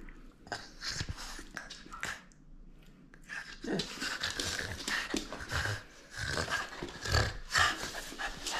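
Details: French Bulldog playing in a small room and disagreeing over a toy; irregular gruff growls and snorty pants come in rapid clusters, building toward the end, with faint handling noise.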